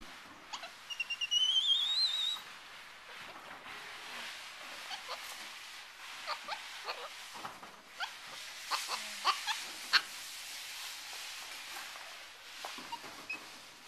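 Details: Samson, a capuchin monkey and former pet now living at the Primarily Primates sanctuary, beside visitors as his mood shifts fast: a thin, high wavering whistle with rising sweeps early on, then scattered sharp clicks and taps among quiet human voices.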